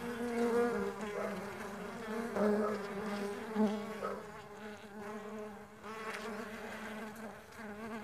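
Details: Many farmed stingless bees in flight make an unbroken, gently wavering buzz, several pitches weaving over one another with small swells and no other clear sounds.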